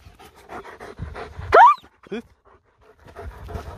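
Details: A German Shepherd, a bit stubborn during training and play, pants steadily, then gives one sharp, rising bark and a softer yelp.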